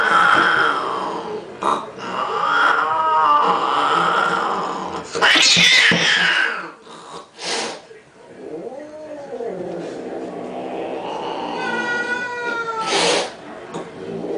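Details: Cats squabbling over a pink toy Mustang, giving drawn-out, wavering yowls and growly wails, with a sharp noisy burst midway and rising, strained cries near the end.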